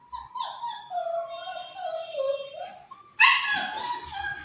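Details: A 40-day-old German Shepherd puppy whines in a long wavering high whimper sliding slowly downward, then breaks into a louder yelping cry, while a person says "no" in Bengali nearby.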